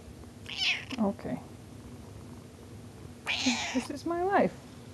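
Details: House cat indoors giving a couple of wavering meows, one short early call and a longer bending meow near the end, amid a woman's speech and breathy noises.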